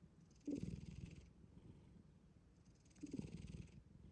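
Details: Black cat sleeping soundly, snoring: two slow breaths about two and a half seconds apart, each a low, rattling, pulsed rumble with a soft airy hiss, quiet between breaths.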